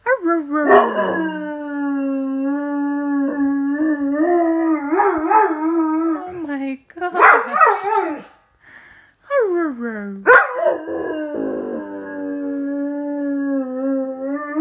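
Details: A run of expressive howls from Miller the dog after he drops his toy: long wavering tones broken by sharp, noisy yelps and abrupt pitch drops, with a short quiet gap before the howling resumes steadily.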